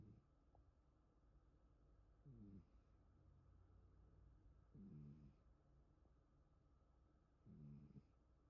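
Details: An indoor rescue cat sleeps with half-open eyes, staying wary of its owner who is filming. It snores quietly with low, rough breaths about every two and a half seconds, in a quiet room with a faint background hum.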